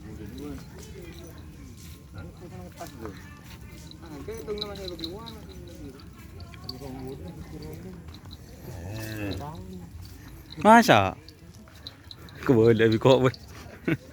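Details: Racing cattle of the Kiang Santang team and other bulls at a kerapan sapi (bull race) event at the Asemanis field, Indonesia; people talk over the first ten seconds, then a loud, deep harmonic moo near eleven seconds and a second drawn-out one soon after.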